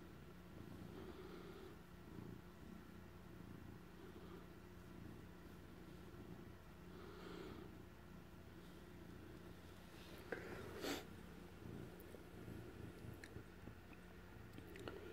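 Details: Adopted ex-stray tomcat purring indoors as he guards cheese he stole; continuous low rumbling purr rising and falling with each breath, a few soft rustles and clicks toward the end.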